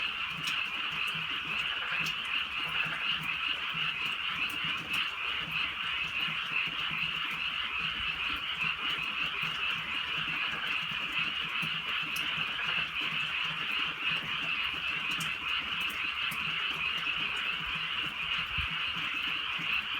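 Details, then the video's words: Many frogs croaking on a drizzly rural night in the countryside: a dense, unbroken high chorus of trilling calls, steady throughout, with scattered sharp ticks of rain falling nearby. "개구리 소리"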